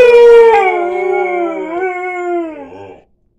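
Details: A Siberian Husky gives a long morning howl that slides gently downward before trailing off.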